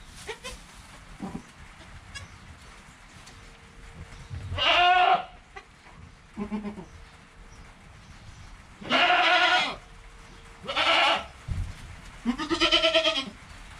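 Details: Goat kid Joel in his first hour of life, mother Penny nearby, filmed with a GoPro: five separate bleats spaced a second or two apart, some short, others long and quavering, over a quiet background.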